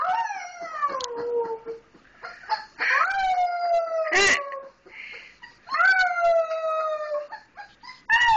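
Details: Baby wolf Misun, named for "little brother" and one of four pups taken in during 2010, howling: several descending drawn-out wails of one to two seconds, overlapped by a brief sharp noise and some faint background sounds.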